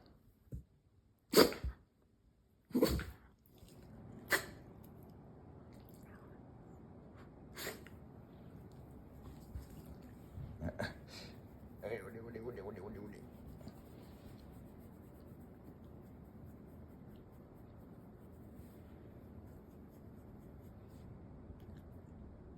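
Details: Shiba Inu named Mugi makes gurgling noises, then lets out a huge sneeze and another after it. Sharp, explosive sneeze bursts come in the first eight seconds, followed by softer snorting and snuffling.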